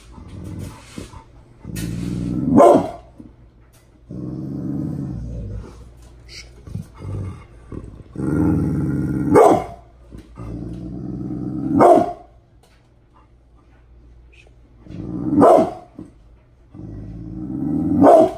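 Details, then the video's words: Pit Bull named Bullet, angry in the morning, giving long rumbling growls broken by sharp loud barks about every three seconds, with growl and bark alternating throughout. "Mad Pitbull Barking !!!"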